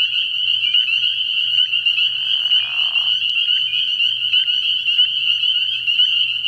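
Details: Spring peepers calling at night in early spring from a frog pond, a dense chorus of high, shrill peeps merging into one continuous ringing band, with a brief lower rasping burst near the middle and a faint low pulsing hum beneath.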